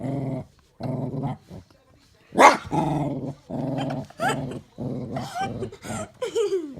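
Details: Guarding her bone against a child indoors, Daisy the dog growls in short throaty bursts, one sharp snap-like bark midway, followed by rising higher-pitched growls and whines near the end.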